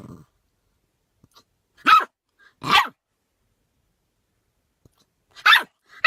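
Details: Puppy with hiccups trying to bark: three short, raspy barks about half a second apart near two seconds, then another after a long pause, with soft hiccup-like clicks between.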